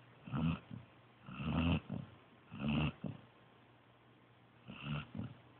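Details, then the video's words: Joby the pointer pup, fast asleep, gives loud nasal snores, low and buzzing with a hoarse edge, three close together then a pause before a fainter fourth. "Snoring Pointer Pup"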